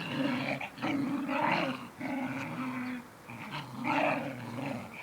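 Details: Low, continuous growling from a mother dog teaching her male puppy to defend himself, rising and falling in rough pulses about a second long, with harsher snarly peaks, indoors.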